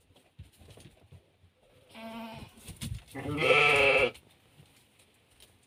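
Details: Hissar sheep at lambing time, a ewe in labour as a lamb is born: two harmonic bleats, a short one then a louder, longer, wavering cry lasting about a second, in a quiet shed.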